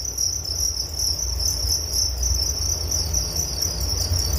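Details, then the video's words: Cricket chorus for sleep relaxation, bright fast-pulsed high chirps running without pause, layered with a second thinner trill above and a soft low drone. "Relaksasi Suara Jangkrik Penghantar tidur || Nature Sound of Crickets"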